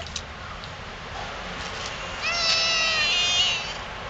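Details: A stray cat in a Yokohama park, Japan, comes close to a person and calls. After a quiet start with a low steady hiss, one long, level, nasal meow runs for over a second.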